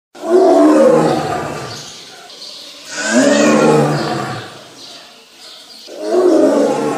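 A tiger gives three deep, rasping roars, each swelling and fading about three seconds apart.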